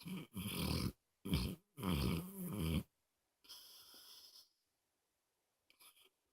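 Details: Dog snoring loudly indoors: three harsh, rattling, breathy snores in quick succession, each about half a second to a second long, followed by a softer, longer exhale and a brief faint snort.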